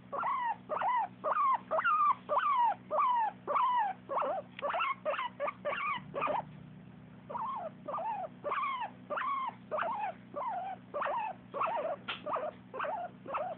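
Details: Dog vocalising happily in long runs of brief, nasal whine-yelps that bend up and fall back, delivered in an even rhythm of roughly two per second, with a short pause midway and a constant low hum underneath.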